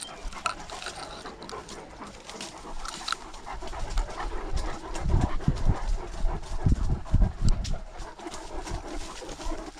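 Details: Great Dane panting on a walk during lockdown, recorded on a dog-mounted GoPro: soft breathy puffs grow louder and quicker in the second half, close and low, with rustling and footfall noise around them.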